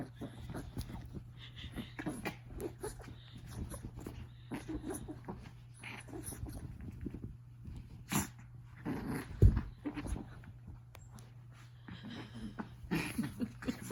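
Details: Chihuahua named Riley Woodstock, indoors at bedtime, angry because his blanket is being disturbed: low rumbling growls run through the recording with snuffling breaths, and scattered clicks and rustling are mixed in.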